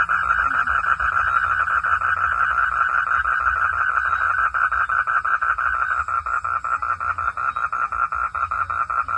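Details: Rain-time frog calling: a long unbroken train of quick nasal pulses, roughly three per second. The pulses grow more sharply separated toward the end, over a continuous low drone.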